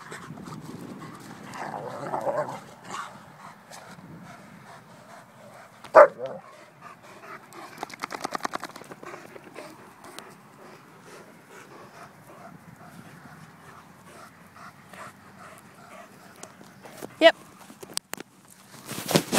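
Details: Two Irish Wolfhounds playing together at a baseball field: soft panting and scuffling noises through long quiet stretches, broken by a few sharp knocks and bumps near the middle and end.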